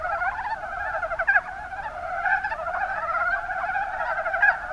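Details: Chorus of Mountain brown frogs, Kuma Basin, Kumamoto Prefecture, Japan, many animals croaking together in quick rattling pulse trains, a steady overlapping clucking mass with brief louder notes standing out.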